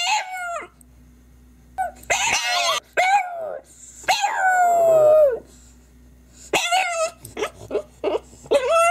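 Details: A French bulldog cries with short yelps and long drawn-out whines that slide downward, broken by pauses, then a run of quick yipping cries near the end.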